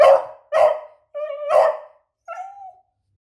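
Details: A female pet beagle barks and whines, apparently about a chicken she has spotted: two loud harsh barks, then a clear tonal whine, another bark, and a fading whimper.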